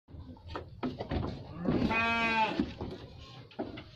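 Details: Garut sheep bleating: one long wavering bleat in the middle, with shorter rough calls and clatter before and after.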